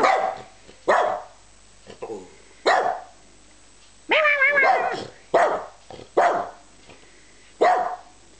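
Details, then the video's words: Wendy, a twelve-year-old Australian Terrier, joins in a sing-along, recorded 26/10/10: short voiced yowls and one wavering, harmonic-rich howl, spaced about a second apart, with a woman's voice encouraging her to sing. "Wendy Sings"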